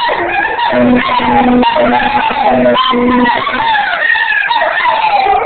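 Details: Rhodesian Ridgeback Baloo, joined by a second dog, Rufus, howling along with a blown sea shell; wavering, sliding howls rise and fall over a steady low drone from the shell, continuous throughout.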